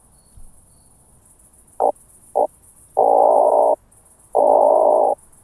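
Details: Oak bush-cricket (Meconema thalassinum) at Starnberg, Germany, 18 July 2023, picked up with a Pettersson D 100 ultrasound detector: two short clicks, then two longer steady buzzing rolls about a second apart, with noise-reduced background.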